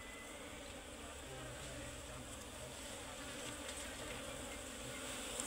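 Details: Asian honey bees (locally called Serena bees) at their comb inside a tree while honey is cut out; a dense, steady swarm buzz with layered droning tones, and men's voices faintly underneath.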